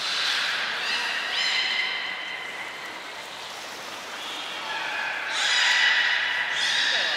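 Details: Belugas Hodoi, Taanya and Mirai, kept at Port of Nagoya Public Aquarium, Japan, recorded 23 February 2021 during pool transfer and training; overlapping harmonic whistles, wavering and gliding, swelling into two louder squeals near the end.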